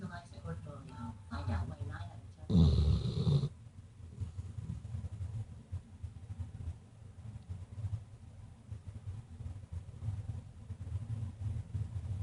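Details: Dutchess, a pet Weimaraner, snoring while passed out asleep indoors: after a few seconds of background voices comes one loud rasping snore, then a low, steady rumbling snore keeps going at an uneven rhythm.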